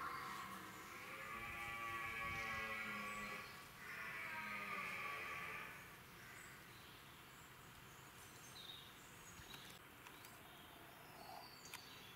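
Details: Huge wild red deer stag with 23 points in the UK, giving two long, drawn-out groaning bellows with rich stacked harmonics over the first six seconds, then quiet open-air background with faint ticks and rustles.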